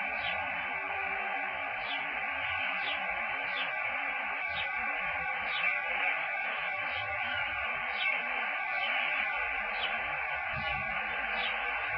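Steady layered tones like music or a radio play throughout, with no animal calls heard.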